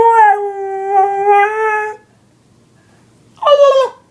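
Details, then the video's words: A dog reacting to annoying sounds howls in a long steady tone for about two seconds, then falls silent before a short rising yelp near the end. "Dog hates annoying sounds!"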